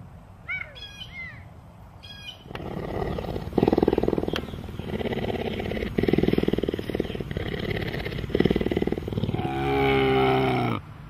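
Sharp bird chirps come first, then a big cat takes over with coarse, rapidly pulsing growls. The sequence closes with a sustained, tonal moaning roar.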